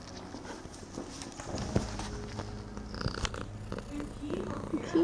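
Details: Nine-month-old female kitten, larger than her mother, still nursing: a low, steady, rumbling purr runs throughout, with soft rustling, suckling noises and quiet human speech on top.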